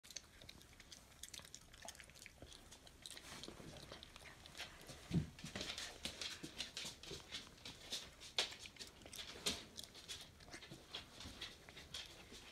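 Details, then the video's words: Pet raccoon named Leonid eating indoors in a small room, irregular wet crunching and chewing clicks about once a second, with brief sharper bites standing out. "Енот Леонид, приятного тебе аппетита"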